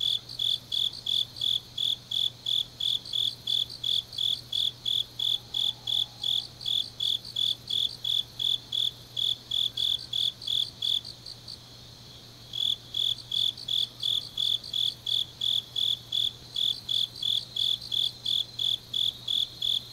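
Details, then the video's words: Grass insects singing late on an autumn night in Changnyeong, South Korea, with brisk evenly spaced high chirps near three per second, a continuous shrill trill behind, and a brief pause in the pulsing midway. "깊은밤 가을 풀벌레 소리"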